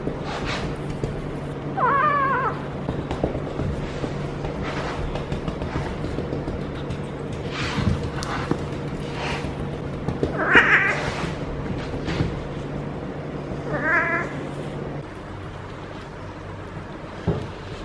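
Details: A feral she-cat in heat caterwauls while being stroked on her lower back: three widely spaced wavering yowls over a steady low hum, with rustling and soft handling noises between them.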